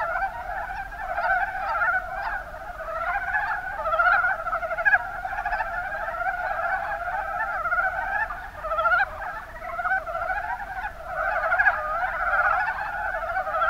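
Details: Many Rana ornativentris, the mountain brown frog, croaking together in the Kuma Basin, Kumamoto Prefecture, Japan; guttural pulsed notes overlap into an unbroken clucking chorus, rising and falling gently in intensity.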